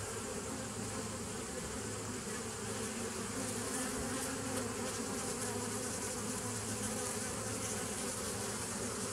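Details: Continuous droning of many bees, recorded on 27 September 2018, holding an even low drone with stacked humming tones and no breaks.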